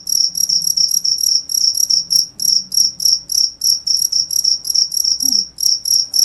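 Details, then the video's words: A cricket gives loud, high-pitched chirps in quick regular bursts, roughly three per second, each a short trilled pulse; faint low rumble in the background. "cricket sound"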